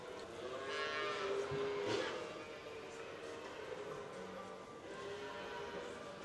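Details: A cow gives a drawn-out, throaty moo while a person speaks softly nearby on a cattle farm at feeding time, where young calves are also mooing.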